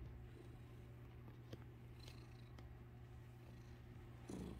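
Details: A domestic cat purrs in a low, steady, rumbling drone while its tail is played with.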